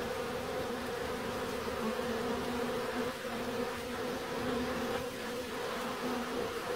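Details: Bees buzzing in a steady, continuous drone with a low hum and overtone bands, slight swells as insects move nearby, no other clear sounds.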